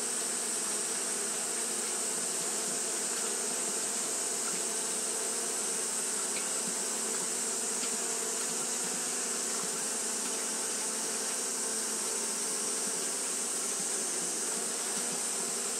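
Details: Japanese honey bees fanning continuously on a hot day, producing a steady, dense droning hum with low layered tones and a constant high hiss above, no pauses throughout.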